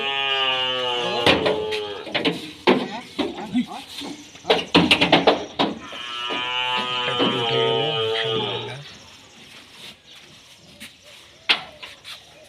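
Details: Bull being loaded onto a truck in Thakurgaon for delivery to Dhaka, Bangladesh, gives drawn-out, deep harmonic moos, each about a second long, among men's talk, shouts and handling noise.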